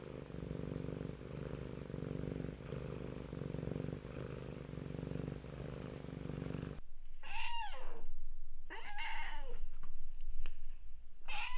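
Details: Cat family meeting again after two weeks apart; a steady low purr for about seven seconds gives way to three loud, drawn-out meows, each rising then falling in pitch, spaced a couple of seconds apart.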